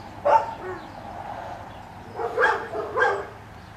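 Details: Short high dog yelps ring out during a water retriever training session with black Labrador Retriever Finn and a five-month-old puppy named Breck as a distraction: one sharp yelp, a quiet gap, then two more close together near the end.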